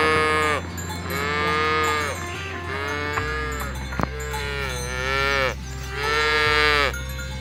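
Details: Free-ranging village cattle pushed through a rice field ditch toward the pen; four loud, sustained moos roughly every one and a half seconds, harmonics stacked high, backed by steady music.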